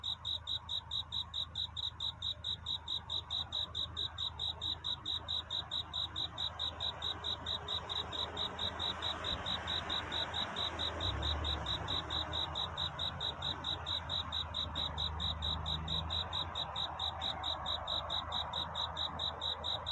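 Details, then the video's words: Cricket singing at night toward dawn, a courtship song seeking a mate: steady, high, pure chirped pulses repeated about four times per second, with a low rumble rising midway and faint broadband background. "귀뚜라미 울음소리. 슬퍼 말아요 우는 것이 아니라 사랑을 찾는 노래랍니다"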